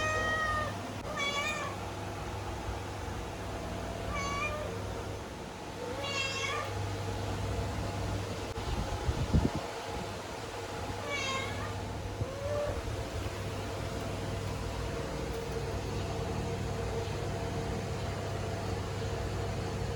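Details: Domestic cat giving a series of meows with bending, wavering pitch, some rising then falling, roughly six calls spread unevenly over twenty seconds, with a steady low mechanical hum throughout.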